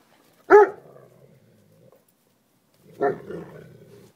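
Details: Puppies at noisy play; a single sharp bark, then after about two and a half seconds a second shorter, softer bark, each trailing into a faint growl, with a person speaking softly nearby.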